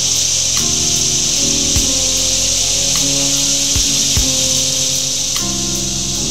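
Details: Cicadas give a steady, high, hissing drone that never pauses, with soft music playing low underneath, on a summer day in Duke Island Park, filmed 2 August 2011.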